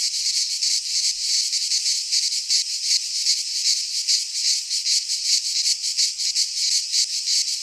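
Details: Greek cicadas in midsummer pine woods produce a constant sizzling drone, high-pitched and pulsing several times a second, loud and unchanging across the stretch.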